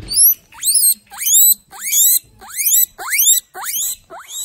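A guinea pig gives loud, rising wheeks in a steady series, calling for food.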